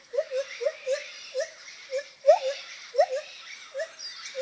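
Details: Rapid, soft lar gibbon hoots, short notes with small upward flicks repeating irregularly, a few louder rising accents among them.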